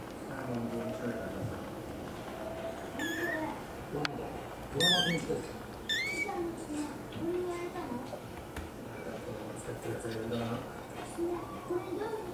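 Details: An American Curl kitten gives several short, high, bending mews with bright harmonics, spaced a second or two apart, while people talk nearby throughout.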